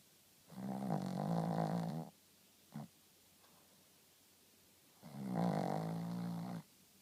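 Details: Rintaro, a Shih Tzu, snores in deep, buzzing breaths about a second and a half long, spaced roughly four seconds apart, with a brief soft click between them in an otherwise quiet room.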